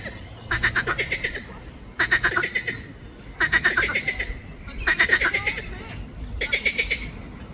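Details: A water frog of the genus Pelophylax calls in the botanical garden of Ljubljana, Slovenia, on 31 May 2024. It gives five harsh, pulsed croaks, each a rapid rattle under a second long, repeated about every one and a half seconds, over low background noise.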